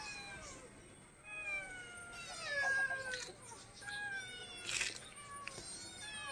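A Persian cat gives drawn-out, wavering meows with falling and rising pitch.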